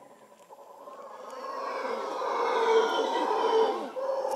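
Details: Howler monkeys in Manuel Antonio National Park, Costa Rica, their guttural roaring howl building gradually from quiet to loud over four seconds, a dense, growling drone with rasping overtones.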